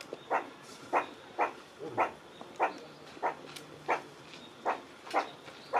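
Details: A meerkat's surprising voice, a series of brief, clipped barks spaced a little over half a second apart, each note sharp and mid-pitched, nine or ten in quick sequence over a quiet background.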